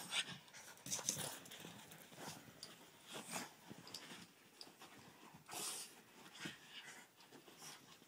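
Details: Boston Terrier named Cash Money panting during what is called doggy breakdancing: breathy, hissing pants in uneven bursts roughly every half second to a second, mixed with soft rustling and scuffing movement noise.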